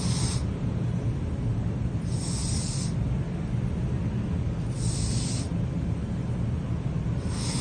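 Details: Pizza, a sleeping cat, snoring: soft breathy hiss bursts recurring about every two and a half seconds over a steady low rumbling noise.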